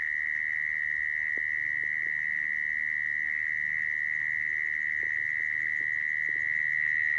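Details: Mole cricket sound used to lure mole crickets into traps: an unbroken high-pitched trill at a fixed pitch, accompanied by several soft clicks and taps and a low background rumble.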